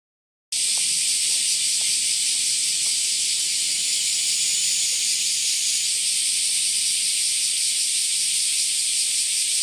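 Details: A Kaempfer cicada sings a steady, high, hissing drone without a break, recorded in the morning around 09:24–09:39 on 14 July 2022 in Japan alongside bear and large brown cicadas; Kaempfer cicada.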